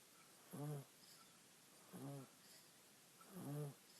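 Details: A small female pet monkey snoring while napping on her owner and dreaming: three low, throaty rasping snores, each about a third of a second long, spaced roughly one and a half seconds apart in a quiet room.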